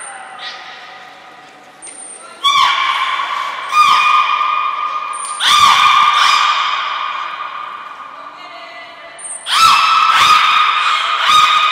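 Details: A training session at the Port of Nagoya Public Aquarium on 1 November 2020 with belugas Hodoi, Taanya and Mirai. Strong harmonic squeals come in three main bursts over a steady tone, with short high whistle blasts and a faint voice.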